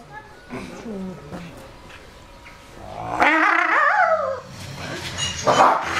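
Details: Wolves flirting with each other: soft low whimpers early on, then a loud tonal whine that rises and falls over about a second, followed by a shorter, higher squeaky whine near the end.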